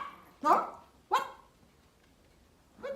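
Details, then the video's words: Small Pomeranian dog giving funny barks outdoors: two sharp, loud barks about half a second apart, then quiet before a third bark begins at the end; a person talks nearby, asking what the dog sees outside. "The small Pomeranian dog makes a funny barking sounds outdoor"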